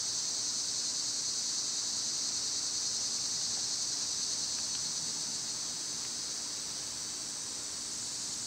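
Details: Loud summer cicadas droning on, a continuous high sizzling whine that barely changes, easing slightly toward the end, with a faint short chirp near the middle.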